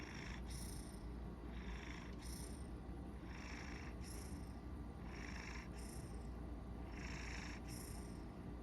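A sleeping Maine Coon purrs with a steady low rumble, with soft snoring breaths about every one and a half seconds.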